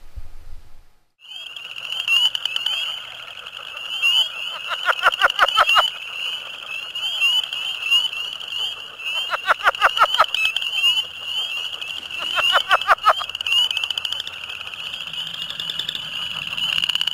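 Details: Leopard frogs (Southern or Plains; the two hybridize here, so the species is uncertain) call in spring in a shin-deep flooded farm field on a cold night, giving bursts of rapid, rattling, chuckling pulses over a steady, high, ringing frog chorus.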